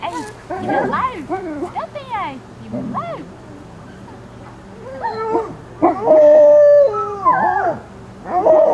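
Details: Alaskan Malamute pups, 26 days old, visited at the Sakima Kiwidinok kennel, recorded 20 September 2009: several high, wavering whines and short rising howls overlap, some held as steady tones near the end, with a person talking among them.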